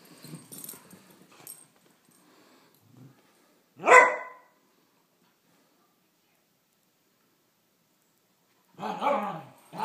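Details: A 17-month-old Beagle mix and a 10-month-old Great Pyrenees playing together; one loud, sharp bark stands out near the middle, with faint scuffling and rustling before it and a burst of rough, breathy noise at the end.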